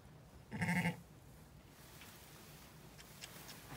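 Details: During lambing of Zwartbles ewe LittleBit on an Irish farm in County Kilkenny, which produced two ram lambs, a single strong, tremulous bleat with rich harmonics sounds early, followed by quiet farm background.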